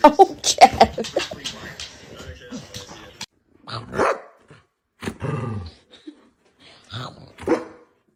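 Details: Dog barking in a funny pet compilation: rough, broadband barks and yaps in irregular bursts, mixed with human voices talking and laughing over them.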